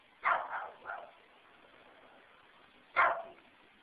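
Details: Neighbour's dogs barking at a person pulling into his own garage: a quick run of three sharp barks, a pause of about two seconds, then one more loud bark over a low steady background hiss.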